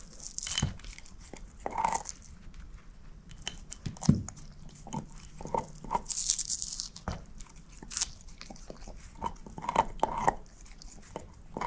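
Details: A shepherd mix named Moose, female, gnawing on a bone. Scattered crisp crunches and wet chewing snaps come in uneven clusters over a quiet background, with a few louder cracks toward the end.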